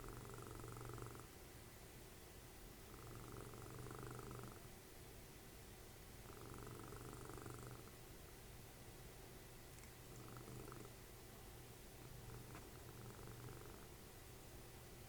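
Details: Dessie, mother of Fritjof, a cuddly house cat, snoring during TV time: five low, rumbling snore breaths, each lasting one and a half to two seconds and coming about every three seconds, the last ones softer.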